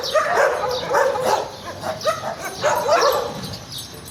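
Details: Rough, sharp barks from stray garbage dogs come in clusters about every half second to second, with brief quieter gaps between the bursts.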